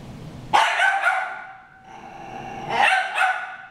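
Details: Harry and Ferris, two dogs, fighting; a sudden harsh bark launches a rough, sustained snarl, a quieter pause, then another pair of loud rasping barks.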